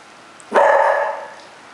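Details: Cocker Spaniel, a pet dog that vocalizes back instead of rolling over on command, giving a single short, strained, harmonic yowl that rises sharply, holds for about half a second and fades, in an otherwise quiet room.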